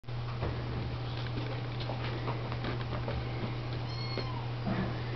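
A Siamese cat gives a few short, thin meows that rise and fall in pitch, clearest near the end. A constant low hum and soft background rustling run underneath throughout.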